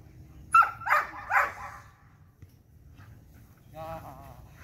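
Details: Belgian Malinois at a light training session, three loud, harsh barks in quick succession, followed by a brief whine-like sound and low background noise.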